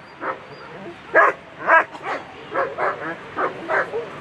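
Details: German Shepherd on a World Championship agility course, A2 Sunday run, giving short, uneven barks with gaps between bursts, some doubled, over a faint crowd-like background hum.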